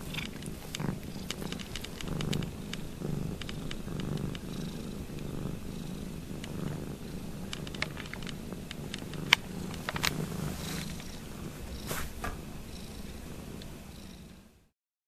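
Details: Domestic cat Ruby purring noisily while licking the foot of another cat, Lugosi: a steady low rumbling purr runs throughout, broken by wet slurping licks and small clicks, ending abruptly in silence.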